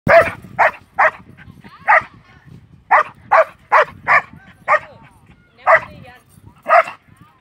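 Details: A Belgian Malinois from Vietnam barks in short, sharp bursts, irregularly spaced about a second apart, some in quick pairs, with faint low background noise between barks.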